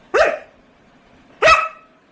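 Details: Labrador Retriever quarrelling with its owner; two sharp single barks about a second and a quarter apart, each with a brief ringing tail, in a quiet room.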